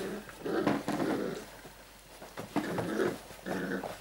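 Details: Airedale Terrier puppies, five weeks old, indoors in a small room: soft whimpering and grumbling vocalizations in short bursts, with a pause midway before more whines resume.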